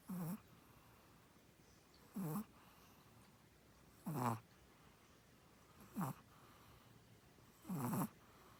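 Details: Chihuahua Samdol asleep and snoring, five short husky snorts falling slightly in pitch, spaced about every two seconds, each with a breathy rasp, in a quiet small room.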